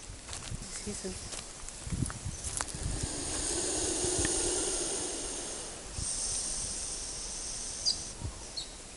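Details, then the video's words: Big lace monitor (goanna) in the Australian bush beside a camp, angry and feeling cornered, gives long breathy hisses: one swelling for about two and a half seconds, a second lasting about two seconds, amid rustling, low thumps and a man's voice. "Big Goanna, Lace Monitor Lizard, Angry and making hissing sounds"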